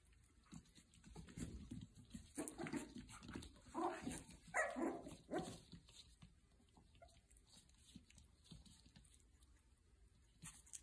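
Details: Puppies at play indoors in a small room, giving soft growly barks and yips that cluster in the middle of the recording, fairly faint against a quiet background.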